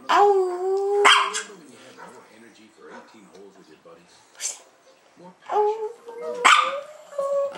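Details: Seven-year-old Chihuahua Prada sings at home with her sisters Tinkerbell and Dasha. A sustained, slightly rising howl opens, followed by quieter wavering notes, then another rising tonal howl near the end, with short sharp bursts between.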